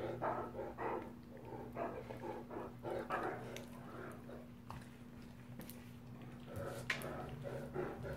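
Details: Play-fighting Great Danes, two males, rumble with choppy growls in quick clusters during the first half, then sparser grumbles and a few sharp knocks, all over a persistent mains-like hum.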